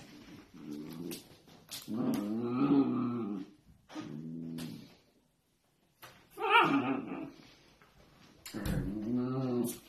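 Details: Miniature dachshund at play indoors, giving drawn-out harmonic growling whines in several bursts, some rising then falling, with short pauses and a brief silent gap between them.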